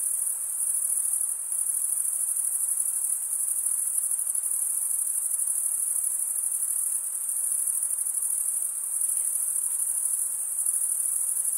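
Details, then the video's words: Steady nocturnal-style cricket chorus of males stridulating: a sustained, shrill, rapidly pulsing high tone that barely wavers in loudness, over a quiet hissing backdrop. "cricket sound"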